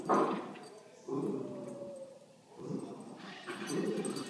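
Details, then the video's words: Playing puppies give short, rough growly bursts, about four in four seconds, each swelling and then fading between the outbursts, with little else heard beyond a faint voice. "Crazy puppies playing"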